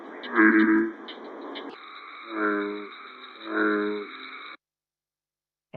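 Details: An American bullfrog, the largest frog, in Massachusetts gives deep, resonant, droning calls, each a low rumbling note repeated about a second apart.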